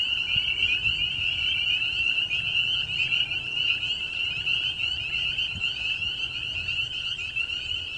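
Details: Many frogs calling at once in an unbroken, shimmering high-pitched chorus, steady for the whole stretch over a faint low rumble; their eerie sound holds the attention of Bijou, a dog.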